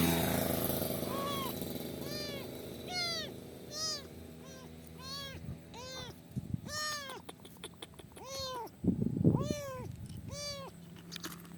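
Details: Stranded kitten in the middle of a highway, being rescued by a biker, meowing over and over: high, arched, harmonic mews about once a second, some louder and longer, above a low rumble and handling noises.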